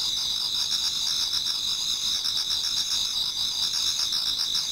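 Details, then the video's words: Several insects heard together in an autumn Japanese garden near dawn, producing a bright, sustained, high-pitched buzzing ring with quick rhythmic trills riding on top. "Autumn Insects voice Towards dawn"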